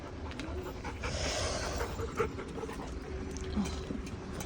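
A Labrador Retriever pants rhythmically and makes soft grunting noises while being scratched.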